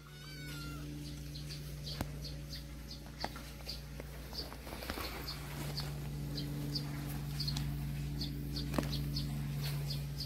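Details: Domestic cats, a family living in a storehouse, on a quiet afternoon; a short rising meow near the start over a steady low hum, with rhythmic high ticking throughout.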